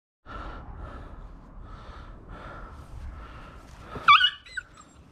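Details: On his first day in the garden, a Cocker Spaniel whimpers in soft, steady high whines, then gives one sharp yelp that trails downward.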